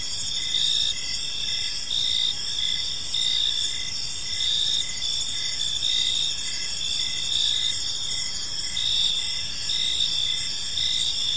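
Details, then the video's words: Evening park chorus of crickets, gentle and continuous: layered high-pitched ringing tones with quick pulsed chirps repeating roughly every second, unbroken insect chorus over soft low-frequency ambient hum. "Park Serenade: Cricket Sounds in a Peaceful Park"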